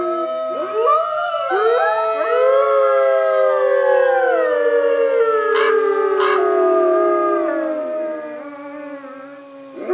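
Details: A North American gray wolf (Canis lupus) pack howls together in a long chorus, several sliding voices overlapping.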